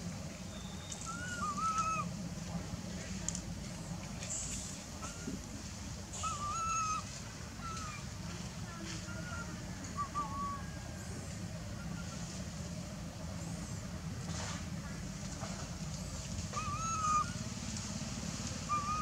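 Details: Teenage monkey crying to insist on milk from its tired mother: thin, high wavering whistled cries, short rising-falling notes repeated every second or two across the clip, over a steady low rumble of traffic and faint voices.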